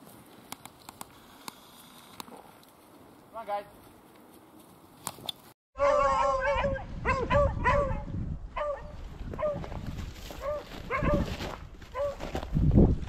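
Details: Beagles on a February rabbit hunt in upstate New York, baying in a cluster of ringing, wavering yelps after a quiet stretch with a faint earlier howl; wind buffeting and a man's voice join in.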